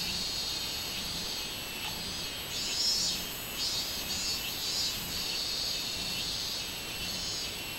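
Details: Robust cicada recorded 24 July 2016, its shrill buzzing rising into several loud pulsed surges midway, over a constant high insect drone.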